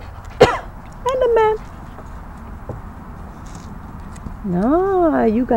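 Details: A Great Dane puppy on its first day at a backyard homestead, being coaxed up steps: brief squeaky yelps early on, then a long wavering whine that rises and falls twice, with people talking nearby.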